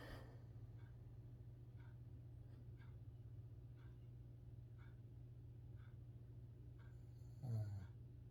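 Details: Coco, a 14-year-old Shih Tzu, deep asleep and snoring, recorded with a Bluetooth mic; soft breathy snores repeat about once a second over a steady low hum, with a brief louder snort near the end.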